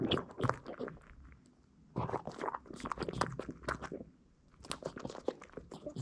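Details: Indoor recording of a Boston Terrier named Hiro eating little duck-bone dog snacks: clusters of sharp crisp crunches separated by two near-silent pauses, each burst of biting lasting about a second or two.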